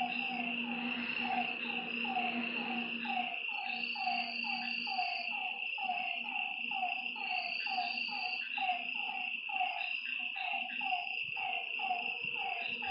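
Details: Lakeside frogs at night give a run of short, downward-dropping croaks, roughly one a second and overlapping, with a shrill continuous insect hum above and a low rumble fading out in the first seconds.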